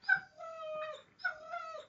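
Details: Alaskan Malamute kept as a pet, vocalizing during a family dinner at the owner's mother's home: two long, tonal, talking-style whines, each starting with a sharp higher note and then sliding down into a steady, slightly wavering tone.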